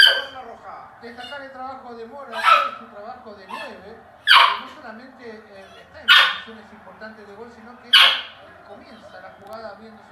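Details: A puppy in Chile cries out as Arturo Vidal scores a goal for Chile on television. Sharp, loud yelping barks come about every two seconds, with a softer, wavering vocal sound continuing between them.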